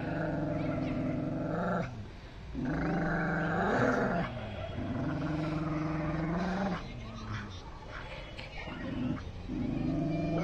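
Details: Pit bull and Dogo Argentino fighting, deep rasping growls in drawn-out bursts of one to three seconds with short breaks, over a constant background rumble.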